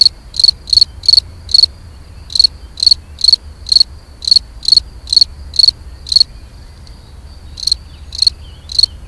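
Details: Loud, piercing chirps from a European field cricket (Gryllus campestris) in mating song, delivered roughly twice per second with a short pause midway before the rhythmic chirping resumes; background otherwise quiet.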